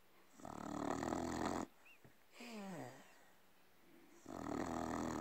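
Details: A sleeping red Staffordshire Bull Terrier snores in long, rough, rasping breaths with a brief whining groan between.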